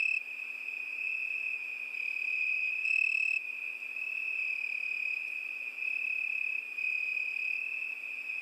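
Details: Summer night chorus of crickets, an unbroken shrill high trill holding one pitch, rising and falling gently in loudness, with a faint upper harmonic and otherwise quiet background.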